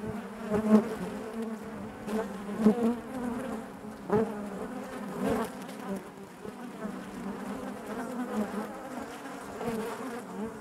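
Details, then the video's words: Honey bees buzzing inside their hive: a dense, steady drone with a layered low hum, wavering in loudness, broken by brief sharp clicks and taps as bees move about the comb. "bees therapy hive natural buzzing sound"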